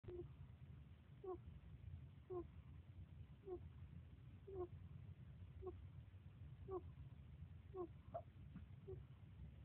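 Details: Lobo, a pet hedgehog, asleep and dreaming: short, soft squeaky snores with a faint tonal ring, about ten in sequence, spaced roughly once a second, over a steady low hum.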